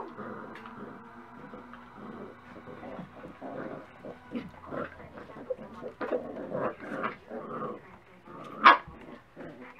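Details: Several Dachshund puppies at breakfast time give a busy stream of overlapping whines, yips and short barks in rapid bursts, with one louder sharp yelp near the end, over faint room noise.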